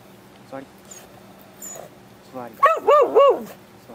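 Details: Excited Beagle Root performing tricks indoors, sit and paw commands: a quick run of three loud, arching, harmonic barks after softer rising whines, with low steady hum beneath.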